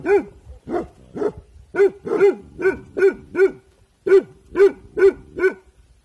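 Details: Evening guarding by Bhotia dog Dabu Goli, alert: loud, clear barks at an uneven pace of roughly two per second, a brief gap before a final run of four.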